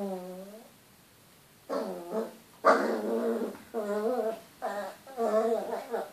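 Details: Chihuahua reacting to its reflection in a mirror: a series of short, wavering, moaning grumbles and whines, rising and falling in pitch, five or six bursts in quick succession after an opening whimper.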